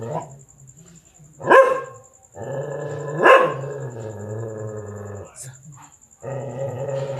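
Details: Dog barking at a big black stray cat wanting to mate: two hard barks about two seconds apart, followed by long low droning, growl-like stretches, with a steady faint high whine in the background.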